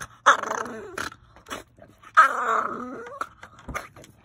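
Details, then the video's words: French Bulldog named Wrangler acting aggressive, giving two drawn-out growling whines with stacked harmonics, each about a second long, between short thumps and background noise. "Wrangler the #frenchie gets aggressive"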